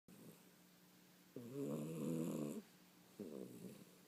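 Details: A 16-week-old puppy sleeping blissfully indoors snores softly. Two low, rumbling breaths are heard: a longer one of just over a second, then a shorter one, with near silence around them.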